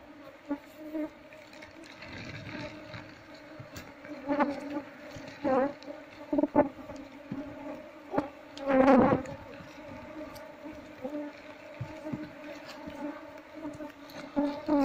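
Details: Honey bees swarming as combs are cut from their nest in a loudspeaker cabinet and moved to a cultivation box; continuous humming drone with pitch wavering, loud surges, scraping and knocking of handling throughout.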